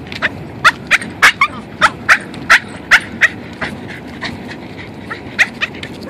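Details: Excited pet Boston terrier out on a walk gives bursts of shrill, squeaking yips, densely packed for three seconds, then a quiet pause before two more sharp cries, with steady background hiss.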